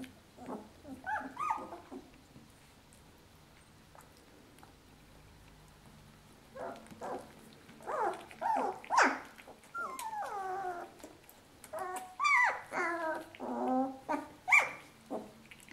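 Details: Two-week-old puppies nursing on their mother, giving high, wavering whines and squeals in bursts, with a few short yelps, after a quiet stretch of soft rustling.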